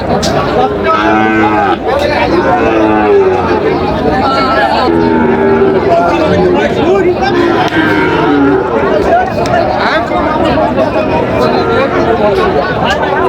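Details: Sahiwal bull calf at a busy cattle market on 8 July 2025, being bought by a farmer from Narsingdi: several wavering, overlapping moos through the middle, half-buried under loud bargaining voices and crowd chatter.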